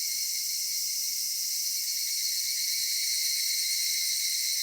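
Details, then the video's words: Summer evening chorus of cicadas in a cedar forest: a steady, shrill wall of buzzing in several high layers that never pauses or changes in level across the whole stretch. "夏夕暮れ杉林 セミの鳴き声"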